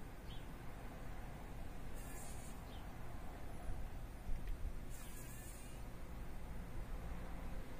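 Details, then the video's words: Fly entangled in a spider web in a workshop, battling to get free: two separate half-second bursts of buzzing about three seconds apart, faint and harsh, over a steady low-pitched background drone. "Überlebenskampf einer Fliege im Spinnennetz"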